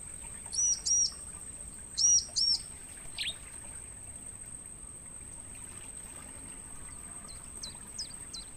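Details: Insect chorus from a natural mangrove forest, used to encourage songbirds to sing. Crickets give a constant high whine throughout. Two short double bird notes sound early, then faint high chirps follow later.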